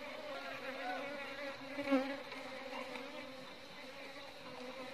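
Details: Apis cerana indica, the Asian honey bee, kept by a beekeeper: an even, low buzzing drone with clear harmonic bands, swelling slightly around the middle and then settling into a steady hum.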